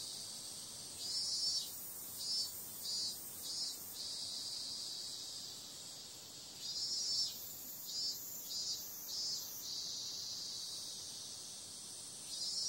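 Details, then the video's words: Summer night chorus of cicadas: a constant high-pitched whirring drone with two bouts of rhythmic louder pulses, each bout holding about four to five beats. "Cicada sound"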